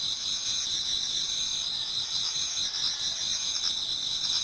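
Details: Many autumn insects singing towards dawn in a Japanese garden: two steady high-pitched ringing bands hold throughout, overlaid by faint pulsed trills, with no other clear sounds.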